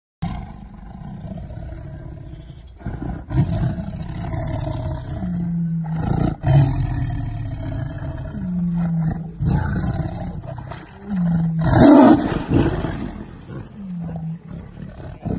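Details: A tiger roaring while protecting its ball against a lion; long, deep, rumbling roars and growls overlapping almost throughout, with a few lower moaning tones and a harsher, louder burst midway.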